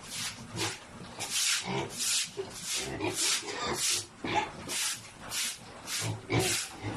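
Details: Large sows crowded in a pen, grown too big to fit together; short, noisy grunting bursts repeat roughly every half second to second, with hissy, rustling texture between them.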